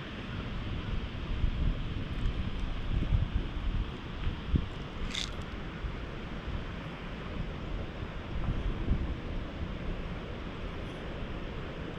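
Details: Steady low wind rumble buffets the microphone throughout, with one brief sharp click near the middle and no animal voice.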